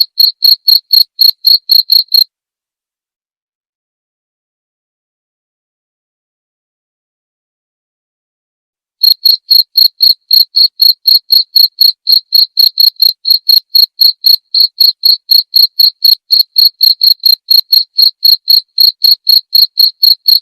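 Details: Cricket song prepared as master audio for songbirds and therapy, with crisp high chirps pulsing about four per second, broken by a long silent stretch of several seconds before the regular rhythm resumes and runs to the end.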